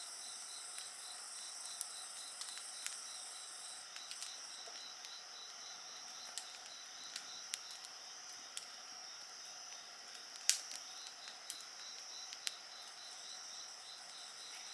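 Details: A continuous high-pitched drone of many insects, layered ringing tones with a faint pulsing trill, accompanied by frequent sharp snaps and crackles from a nearby bonfire, one louder pop near the end.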